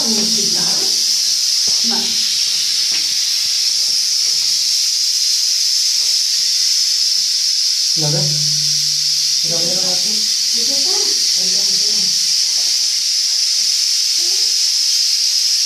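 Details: Rattlesnake indoors in a bathroom, rattling because it feels in danger: a loud, continuous hissing buzz that holds steady through the whole recording, with Spanish speech on and off over it.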